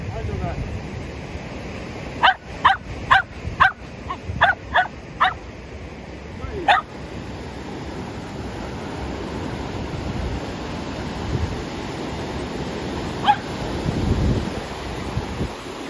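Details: A Shetland Sheepdog named Tsumugi barks while playing at the sea after rain: a quick run of about eight sharp barks between two and seven seconds, then a single bark near thirteen seconds, over steady surf and wind noise.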